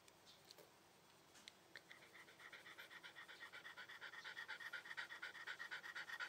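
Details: Shiba Inu panting, quiet at first then building into fast, regular breathy huffs about two per second, growing louder toward the end.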